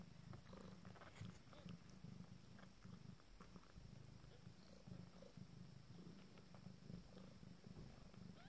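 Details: Purring from nine-day-old Abyssinian kittens: a continuous low, rhythmic rumble with soft rustling and faint clicks above it.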